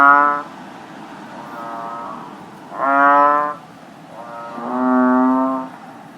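An American bullfrog gives deep, resonant, harmonic calls, each lasting about a second, with pauses between.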